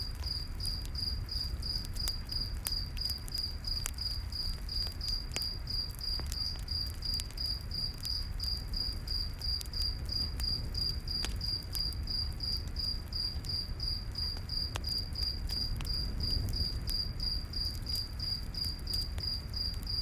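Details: Continuous rapid cricket chirping fills a nighttime forest by a campfire, a bright pulsing note repeated steadily, with frequent fire crackles and a soft low-frequency background hum.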